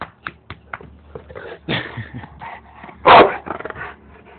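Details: Bandog Mastiff, still disliking the lawn mower two years on, gives a few deep, harsh barks with one loud burst near the end, among softer scattered grunts and clatter.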